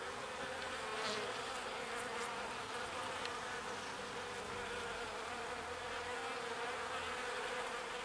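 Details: Bees busy collecting pollen and ferrying it to the hive; a constant swarm drone, with a deeper, lower buzz from a nearer bee passing in and out across the recording.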